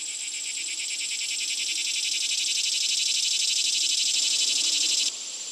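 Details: Cicada. A shrill, steady buzz of cicadas fills the air, pulsing rapidly and evenly at a high pitch. Near the end the drone stops abruptly, leaving only a fainter background hiss.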